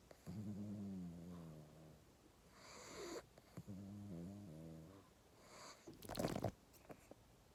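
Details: A sleeping pug snoring, a low harmonic rasping breath sustained for about two seconds, then a second snore after a pause, followed by a brief louder noisy burst; a woman asks softly whether it is asleep.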